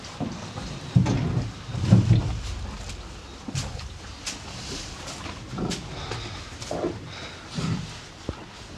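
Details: Two farm cows feeding on hay, giving rhythmic grinding chews roughly once a second, each a soft low crunch with rustling straw and occasional dry ticks.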